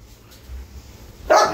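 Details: Dog, German Shepherd or Labrador, gives a single sharp bark at the very end after near-quiet room noise, with a person calling just before.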